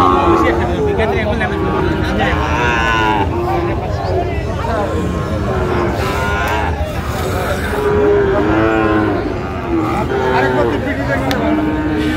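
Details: Sahiwal bull calves at a busy cattle market in Bangladesh, where Dhaka farmers buy them on 28 February 2025; drawn-out, steady moos rise from the herd, with a longer low call near the end over constant crowd chatter and murmur.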